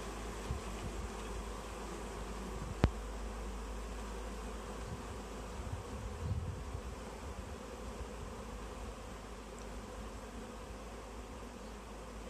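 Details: Honey bee swarm clustered in a tree, being gathered into a bag: a dense, steady low hum of many wings throughout, with one sharp click near the third second.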